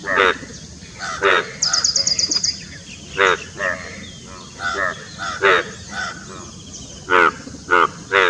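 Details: Courting Indian bullfrogs near Dombivali in Maharashtra's Thane district, June 2018: loud nasal croaks repeat irregularly, roughly every half second to second, with a short high rattle early on and a steady background hum.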